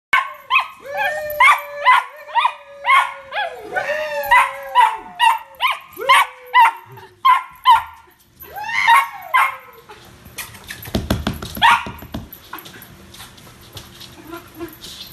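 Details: Toy poodle named Lola Peach barking excitedly while playing with her new ball: a rapid run of sharp, high yappy barks, about two per second for eight seconds, then scuffling and rustling noise with a few fainter yaps.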